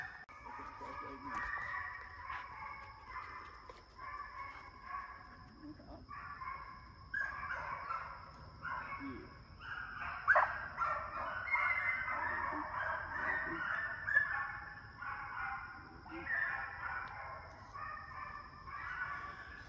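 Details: A pack of young hounds chases coyotes around a fox training pen. Their baying is heard at some distance as a steady stream of overlapping yelps and howls that swell louder past the midpoint, with a faint constant hum behind them.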